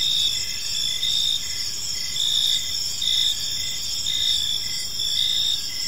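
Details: Gentle chirping of crickets in a serene park at evening, several insects overlapping in a high buzzing chorus, loudness swelling in regular surges every second or so.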